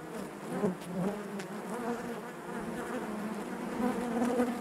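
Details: Crowded buzzing of honey bees in their hive, a wavering, busy drone with fluttering tones and slight rises in loudness toward the end.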